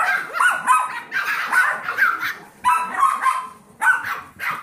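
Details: Young Yorkshire Terrier foster pups aged seven weeks, with the 15-week-old Golden Retriever mix Trouble; thin, piping yelps and short barks rise and fall in clusters, some notes sliding upward like squeals.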